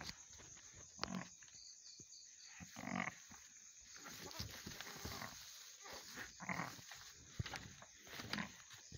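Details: Mother goat just after giving birth to two kids, giving low, harmonic bleats about every two seconds, each lasting a fraction of a second, with rustling and clicking noises between calls.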